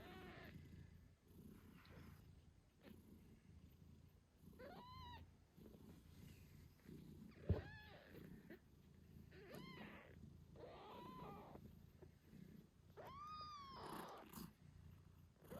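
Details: Eight-day-old British Shorthair kittens beside their nursing mother: about five high, arched, wavering squeaky meows, spaced one to three seconds apart, over the mother's continuous low purr.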